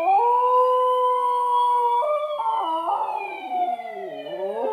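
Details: Indoors, a West Highland White Terrier responds to a televised ambulance siren with a sustained, wavering howl that breaks and drops in pitch, layered over the siren's long steady tone.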